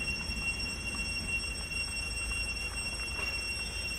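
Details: Cicadas singing loudly on a farm on 11 November 2021: a steady, unbroken high-pitched whine with several stacked tonal bands holding constant throughout, over a low background rumble.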